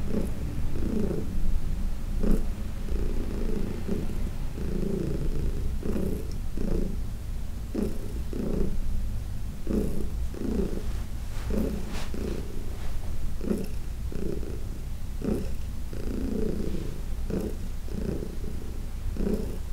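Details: Heidi, a 14-year-old senior domestic cat adopted from the Humane Society of New York City, purring during a massage on June 17, 2021: steady low rumble with louder rhythmic surges roughly every second, indoors.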